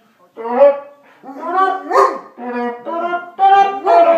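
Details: Greater Swiss Mountain Dog howling in short, voiced, wavering bursts, about six rising and falling yowls in four seconds, some rougher and strained, separated by brief pauses.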